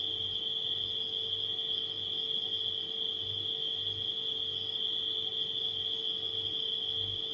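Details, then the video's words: Night crickets producing a steady piercing trill without pause, layered over a refrigerator's deep, evenly pulsing hum. "Crickets & Refrigerator Humming Sound"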